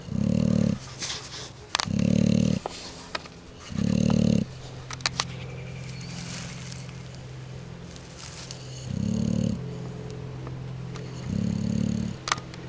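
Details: Pet bulldogs asleep and snoring, recorded March 4, 2010: three coarse, low snores in quick succession, a pause of several seconds with light clicks and rustling, then two more rumbling snores.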